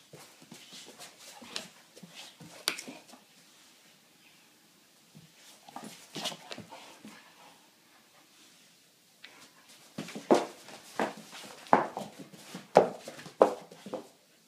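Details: American bulldog, a rescue moved from Ireland to Sweden, at play indoors: irregular bursts of snuffling, panting and whimpers, quieter at first, then louder clustered sounds in the final five seconds.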